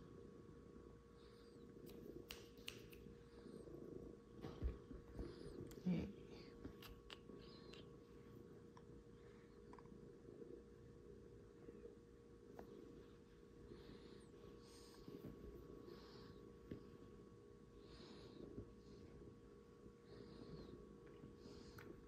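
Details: Cats cuddling on a Sunday morning indoors; a soft, low, continuous rumbling purr pulses with the breathing throughout, with faint whispered speech and light rustling.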